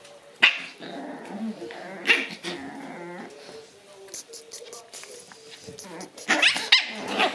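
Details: A noisy Shiba Inu lets out sharp barks at the start, middle and end, with grumbling, growly vocal sounds and whines between them and a cluster of louder barks near the close.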